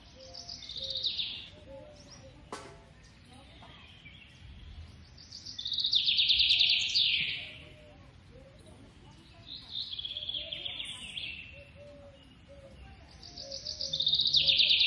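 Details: Baby squirrel being hand-fed in captivity, giving high, shrill squealing bursts that swell and fade in waves about every four seconds, each a rapid pulsed chatter sliding downward, with a sharp click and soft low background noise.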